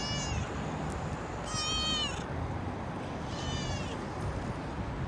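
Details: Street-living kitten and mother cat: a faint meow at the start, then a clear, steady harmonic meow, followed by a softer, fading one, all over a constant low background hum of outdoor noise.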